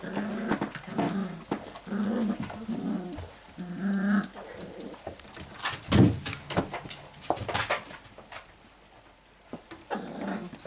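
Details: Five-week-old Airedale Terrier puppies indoors: repeated low whimpers and grumbles in irregular bursts, mixed with clicks and thumps of movement, a louder yelp near the middle.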